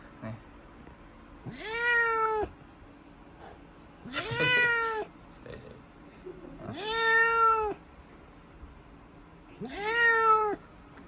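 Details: Sango, a grown kitten and former stray, meowing while being shampooed indoors after wetting herself at the vet: four long, drawn-out, rising-then-level meows roughly every three seconds, with a person murmuring soothing words between them.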